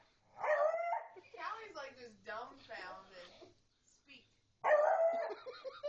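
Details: Indoor barking from Jasmine the beagle while her owners' friends urge Callie the pug to speak: a sharp bark opens, chatter and laughter follow, then a second loud, tonal bark after a short quiet gap.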